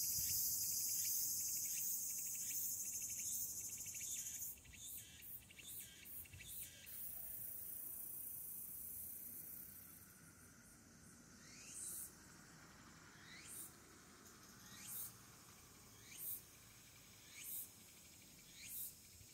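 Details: Tsukutsukuboshi cicada beginning to sing on an August evening; a loud dense drone with rapid pulses breaks off, then sharp separate rising notes come about once a second, gradually spacing out.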